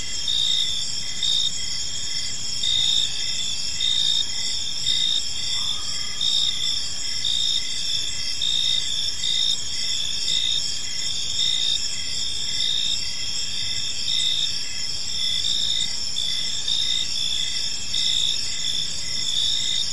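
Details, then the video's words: Several crickets calling in a peaceful park at evening, a dense unbroken high trill with evenly spaced pulsed chirps throughout, faint distant low background noise beneath. "Cricket Sounds in a Peaceful Park"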